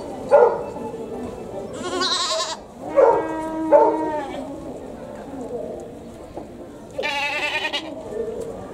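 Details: Human-sounding goat cries at Tobu Zoo, Japan: long, quavering, harmonic bleats with a strong vibrato, one near the start and another later, separated by breathy, hoarse bursts and faint background murmur.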